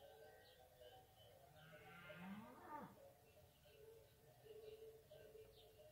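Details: One drawn-out, harmonic lowing from fighting bulls while eating peaks and then falls away midway. Steady tonal background sounds and faint bird chirps continue throughout.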